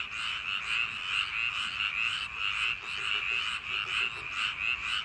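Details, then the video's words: Summer-night frog chorus from rice paddies, many callers croaking at once in a thick, unbroken wall of sound, rhythmic swells of pulsing notes about twice a second. "여름밤 논두렁개구리소리"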